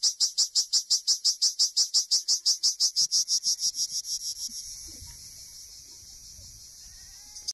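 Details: Cricket encountered while herding Honamlı goats: loud, sharp high chirps about three per second for four seconds, then fading into a softer steady high buzz with faint background rustling.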